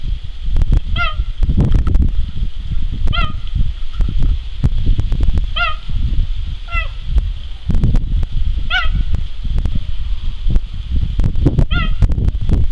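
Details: Captive male cheetah at a French zoo, recorded 21 September 2014: short, high chirping calls, each a bird-like yelp, repeated every one to two seconds over heavy low wind rumble and handling noise.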